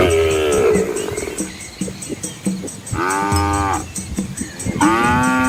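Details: Asian village cattle with calves walking together on a scenic country road beside rice fields; three strong, arched harmonic moos in quick succession, with low rumbling grunts and a steady high whine behind.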